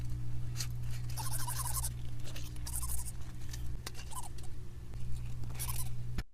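Brief scratchy rasps come from a leaf insect rubbing the ridged bases of its antennae together. Each burst is dry and papery, repeated at irregular intervals over a constant low electrical hum.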